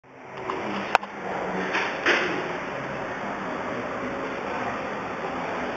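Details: Quiet indoor room tone with a steady high hum and a few soft knocks and clicks, like a drawer or door moving; no animal voice.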